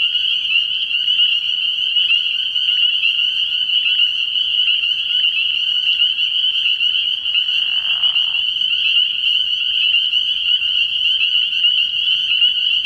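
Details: Dense chorus of spring peepers at a frog pond at night early in the year: a constant shrill band of high, piercing peeps overlapping without pause, with a brief lower rasping sound near the eighth second.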